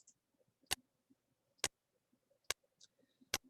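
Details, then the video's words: Sperm whale echolocation clicks, made constantly while feeding to judge distance to food: sharp, broadband ticks spaced almost a second apart like a slow metronome or ticking clock; sperm whale. "And so this is what a sperm whale click sounds like."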